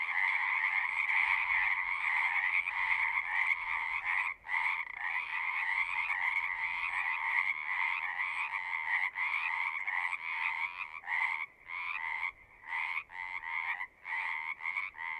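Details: A chorus of many frogs calling together, a dense pulsing croak with strong bands in the upper-middle pitch, steady and overlapping, with several brief breaks toward the end.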